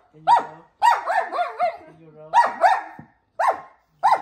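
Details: German Shepherd complaining while being taught a roll command indoors in a small space: short, harsh, whiny barks and grumbling yelps in bursts, several in quick succession, then two more separate barks after a brief pause.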